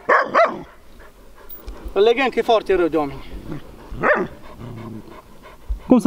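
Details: Large Bucovina Shepherd Dog, described as having a powerful temperament, recorded in 2021, gives short, sharp barks near the start and again around four and six seconds, with a man talking in between.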